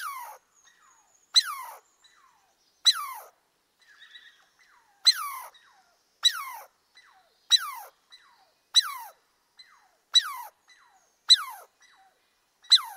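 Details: Forest squirrel repeating clear, high, downward-sweeping squeals roughly every second and a half, each starting with a sharp click-like onset and falling away, with faint softer chirps in between; quiet surroundings.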